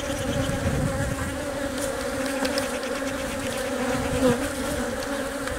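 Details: Hive of honey bees as the queen lays eggs, guarded and fed by workers; an unbroken buzzing drone with two steady humming bands, faint crackles and a brief louder swell near the end.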